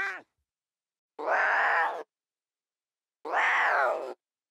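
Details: Playful lion cubs in the wild; two long, rasping, harmonic cries, each about a second, two seconds apart, after a brief falling call at the start.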